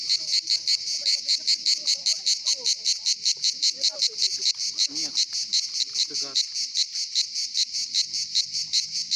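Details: Cicadas chorus at Pitsunda, Abkhazia, in summer, giving a shrill, throbbing buzz that swells and fades in quick regular pulses, with soft voices in the background.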